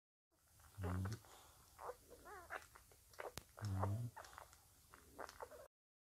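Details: Five-day-old Bulldog puppies with their mother Spikkels: two loud low grunting bursts near the first and fourth seconds, a brief wavering squeak between them, and soft scattered snuffles and clicks throughout.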